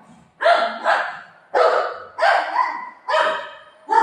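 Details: Golden retriever dog barking while playing with its owner at home; loud, harsh barks in a quick series of about five, each rough and broad, with short pauses between.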